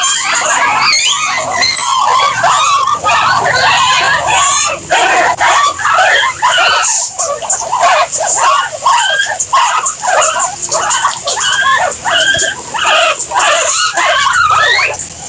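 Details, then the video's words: Several guinea pigs squealing over and over in shrill, rising calls, roughly two each second, loud and close, the calls crowding together in a continuous chorus. "Guinea Pigs Sound"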